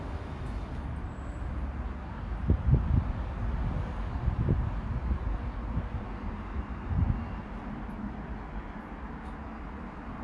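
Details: Low, steady vehicle rumble like passing road or rail traffic, with a few soft thumps and no animal voice.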